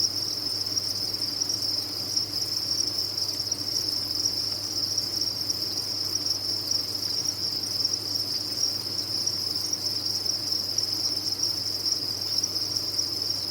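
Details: A crowded cricket farm produces a constant sharp, high chorus of chirping, steady from start to finish, layered over a quiet low-pitched drone.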